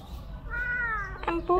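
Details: Domestic cat, one of a brother-and-sister pair with oily, waxy ears, meowing during an ear-cleaning session at home; a single drawn-out, slightly falling harmonic meow, followed by a woman speaking.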